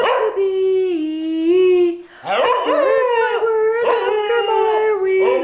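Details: English Cocker Spaniel singing on command: long, sustained, wavering howls that bend up and down in pitch, broken by a short pause, then a louder, sliding howl, with a person singing along.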